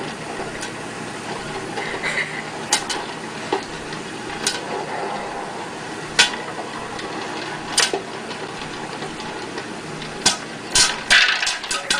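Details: Clattering, tapping and scraping like dishes and utensils over a hissy background, with sharp knocks at irregular moments and no animal voice.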